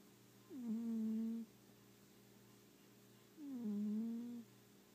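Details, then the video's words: Sleeping pet cat snoring indoors, two drawn-out nasal breaths about three seconds apart, each starting with a short downward glide and then holding steady, low hum in the quiet room between them. "Snoring Kitty"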